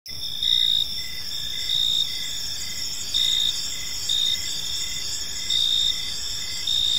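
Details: Crickets chirping in a park in the evening: a steady high shimmering drone with short, louder trilled bursts about every second, over a faint background hiss.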